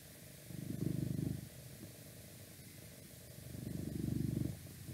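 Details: Domestic cat purring indoors for an ASMR recording, two clear swells of low, rapidly pulsing rumble about a second long each, separated by a quieter gap, over a steady background hiss with outside noise coming in from a window.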